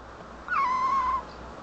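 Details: Young kitten answering a woman who talks to it affectionately in Turkish: one steady, drawn-out tonal mew of about three-quarters of a second, nearly level in pitch, with faint harmonics above it and quiet room background.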